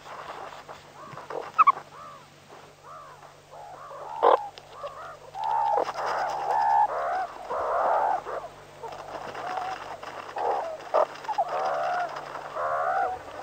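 Meerkats give overlapping squeaky, chirping calls, growing into a busy chorus of wavering peeps.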